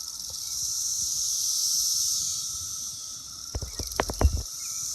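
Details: Brood X periodical cicadas, a large group on an apple tree in June, produce a dense shrill buzzing chorus that rises and falls gently; several sharp thumps and knocks break in near the end.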